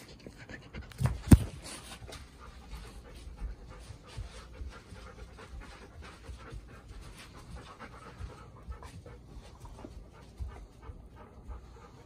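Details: Golden Retriever, a four-year-old female, indoors with two other Golden Retrievers the day after meeting her mother, looking tense: steady soft rhythmic panting throughout, with one sharp loud knock near the start.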